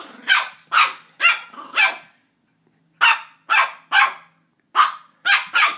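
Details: Ollie, a Border Terrier puppy, barking while attacking a squeaky toy indoors: sharp high-pitched yaps in two bursts, four quick barks, a pause, then five more, about two per second.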